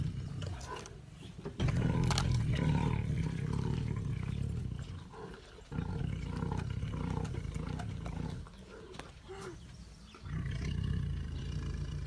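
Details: Siberian tiger at its food, making a deep rumbling growl for several seconds. The growl fades, and faint lighter sounds follow. A second low growl rises near the end.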